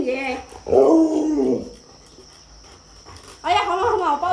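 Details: Luoluo, a domestic Alaskan Malamute pleading for watermelon, lets out two rough, grumbling 'talking' vocal bursts about a second long, separated by a quiet pause, with a faint constant high-pitched tone in the room.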